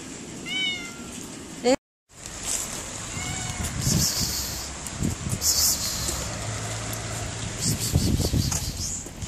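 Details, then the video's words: Cat in cold, raining weather gives two falling meows early on, then human voices and street noise take over, with a soft hiss throughout. "cats meow because the weather is very cold and raining"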